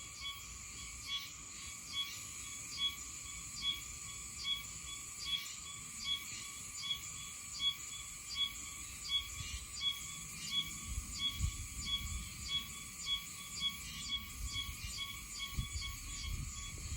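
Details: Oshima cicada (Meimuna oshimensis) calling in Okinawa in mid-September, singing off and on. Buzzy, high-pitched pulses come a little more than once a second over steady shrill whining bands, with a soft low rumble beneath.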